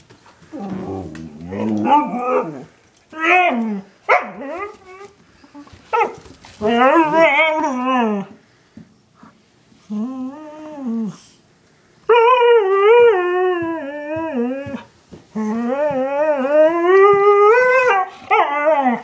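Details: Pet dogs Chinook, a one-year-old husky, and Lola, an eight-year-old German shepherd mix, vocalizing in a long series of wavering, whining howls and yowls, rising and falling in pitch, broken by short pauses and quieter grumbles.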